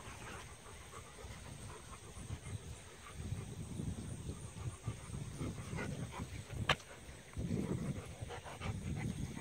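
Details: Two Rottweilers, a female pup of 5.5 months and a 1.5-year-old male, playing rough together. Low, rumbling growl bursts come in the middle and again near the end, over faint steady background noise.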